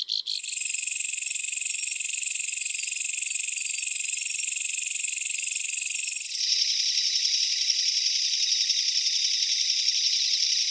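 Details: Umaoi katydid. An umaoi katydid makes its idling call, a continuous thin, high-pitched hiss held for several seconds. It then shifts to a slightly lower, quickly pulsed buzz.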